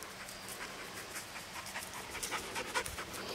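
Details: Tessa, a red Standard Poodle from Palmares Red Standard Poodles, panting in soft, breathy, rhythmic bursts, a little over two per second, over a faint low hum.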